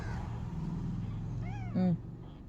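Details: Kitten trying to walk, giving a faint arched mew followed by a short louder meow, over low rumbling background.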